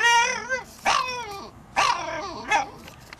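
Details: Arčis the French Bulldog, said to act like a parrot and like a human, with a voice a judge likens to something between a motorcycle and a parrot. Four wavering, tonal yowling bursts break and slide in pitch, indoors.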